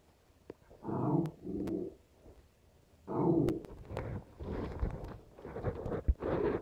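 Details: West Highland White Terriers at play, three-year-old Nappy and two-and-a-half-month-old puppy Stella, indoors: low rumbling growls in two short bursts near the start, then a longer run of muffled growly grumbles and scuffling toward the end.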